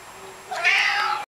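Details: .A 16-pound male Maine Coon cat utters a brief, thin, high-pitched meow that swells and holds for about half a second before cutting off, a surprisingly small cry for such a large cat.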